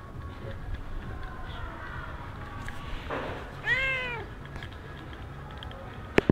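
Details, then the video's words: Stray cat in Sharm el Sheikh, Egypt, giving a single bright, arching meow that rises then falls, set against low rumbling street noise and a sharp click at the end. "Stray cat mewing"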